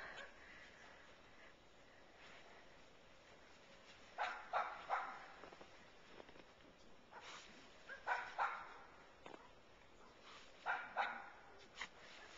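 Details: Pet dog Katie in pursuit of a squirrel up a tree outside: scattered bursts of excited barks, grouped in pairs and threes with quieter stretches between, over low background noise.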